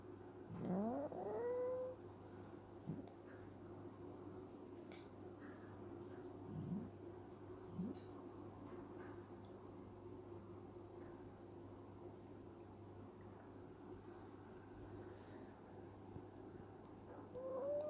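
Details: Female kitten sleeping and dreaming, making funny sounds: a squeaky mew sweeping upward early on, then a few short rising squeaks spread through the quiet, with a steady low hum behind.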